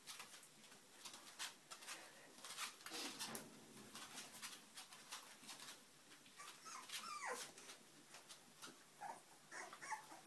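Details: Puppies giving scattered high whimpers and short yips over about ten seconds, some notes sliding upward, mixed with frequent clicking, tapping and rustling noises.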